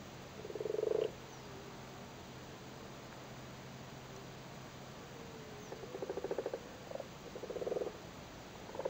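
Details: Male frogs on spawn in a flooded cattle grid, Cork, Ireland, in spawning season: short purring croak bursts at the start and again near the end, separated by a long quiet stretch.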